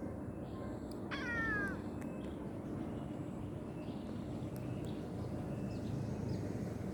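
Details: A cute kitten at play gives one clear meow about half a second long, with a bright harmonic tone that slides slightly downward. A steady low rumble runs underneath, with faint high chirps in the background.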